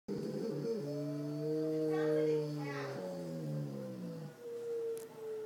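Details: Zeb, a Bouvier des Flandres, howling during a tornado siren: a long wavering, harmonic-rich tone that swells and holds for several seconds, dips briefly, then carries on at a slightly lower pitch.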